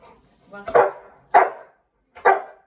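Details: A male Cane Corso, eight months old, doing obedience training with his owner: three short, forceful barks spaced under a second apart, each a broad burst that fades quickly into quiet.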